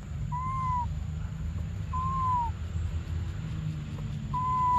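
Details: Infant monkey named Briar wanting milk: three thin, level-then-falling whistled cries, each under a second long and about one and a half seconds apart, over low rumbling noise.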